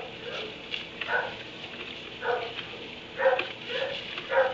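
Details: Dog barking in a kennel in a barn at 3am: short harmonic barks in loose bursts roughly every second, the loudest pair near the end, over a steady low hum.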